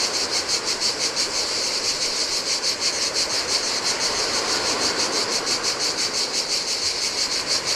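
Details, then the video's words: Cicadas singing in the heat on a desolate Greek island beach by the Adriatic sea: a dense, steady high buzzing chorus pulsing about three times per second, with soft surf washing underneath. "Cicadas by the Sea - Ocean Waves & Cicada Sounds"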